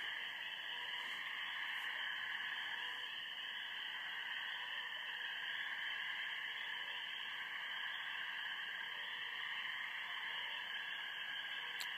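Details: Spring peepers calling at night from a pond behind a house in a backyard. Many frogs blend into a dense, unbroken high-pitched chorus that holds steady throughout, with no single caller standing out.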